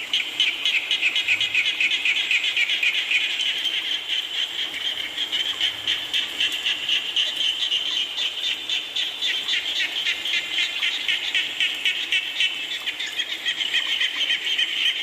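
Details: Rain with frogs croaking, a thick chorus of fast, fairly regular pulsed calls in a high band, several notes per second, over steady rain hiss.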